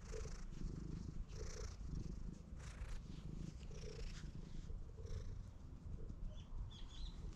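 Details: Stray cat following close behind a person while glancing around, filmed outdoors on a GoPro; a steady low rumbling purr with soft pulses roughly once a second, plus faint rustling in the background.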